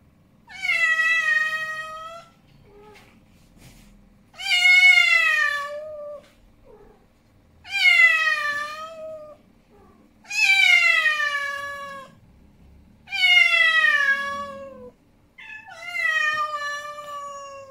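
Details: Angry male cat Snowy yowls in six long, harsh, wavering calls, each sliding downward and lasting roughly two seconds, repeated every few seconds with short silences between, recorded indoors.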